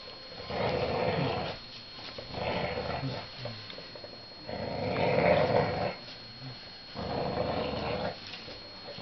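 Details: English Bulldog Lester, 18 months old, battling a hooded sweatshirt indoors, growls in four long raspy rumbling bursts of about a second and a half each, separated by short quieter pauses.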